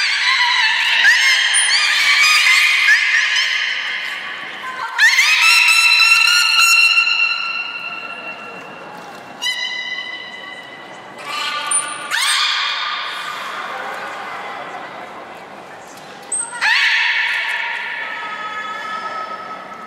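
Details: Beluga at Port of Nagoya Public Aquarium during gate training on 3 May 2019, before the 11:00 public training session: loud harmonic squeals and buzzy calls with rising and falling sweeps, bursts starting near five, twelve and sixteen seconds, in a large echoing hall.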